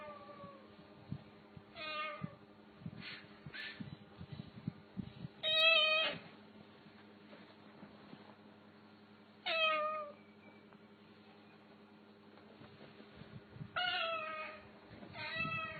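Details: Pet cat giving a series of short, bright meows, about five spaced several seconds apart, some with a rising-then-falling wavering pitch, over a low steady indoor hum.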